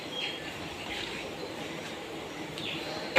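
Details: Steady rumbling, hissing mechanical noise like a moving vehicle, ending in a sharp clatter; no animal sounds.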